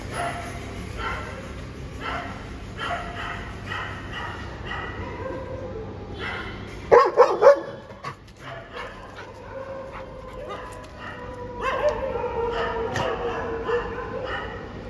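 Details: Dogs in a fight, a Labrador against street dogs: a steady series of barks roughly every second, then a loud burst of sharp yelps and snarls midway, followed by more layered barking from several dogs.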